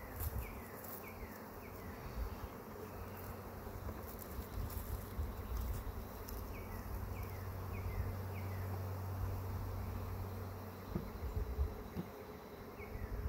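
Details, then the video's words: First honey bee swarm of the year being caught outdoors: a thick, continuous buzzing drone with a low steady hum underneath, and short descending bird chirps heard now and then. "Catching the first swarm of the year"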